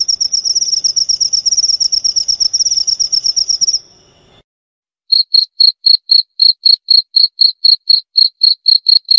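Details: Cricket trilling in fast high pulses, then a short silence, then a second cricket's clean separate chirps, about four each second, a slightly lower note with a faint high overtone; intended for sleep therapy and repelling rats.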